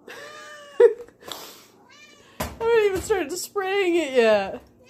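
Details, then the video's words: Pet tomcat begging and climbing after hearing whipped cream sprayed from a can indoors; loud wailing meows that bend downward, overlapping a woman exclaiming and short bursts of aerosol spray. "My cat FREAKS over the sound of whipped cream"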